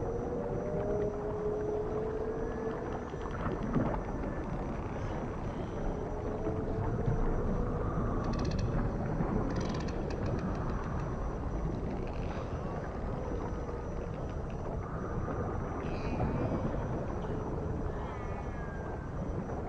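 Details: Dolphin. Dolphins whistle underwater in thin, sliding tones that rise, fall and curve, with short crackling bursts of clicks in between. A constant deep rumble of ocean and engine-like noise runs underneath.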